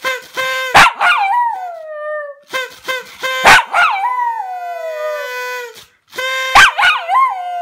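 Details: Singing pet dog Toby: bright, quick yelps bending into long descending howls, three phrases in a row, with a level humming tone held underneath.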